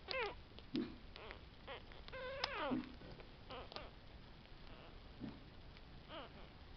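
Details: Whining Tibetan Terriers from the C litter, born July 11, 2012. Several thin, falling whines repeat through the recording, with a stronger cluster of descending cries midway and a low room hiss underneath.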